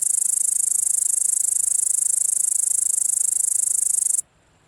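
A grasshopper gives a high, dry buzzing trill of rapid even pulses that stops abruptly.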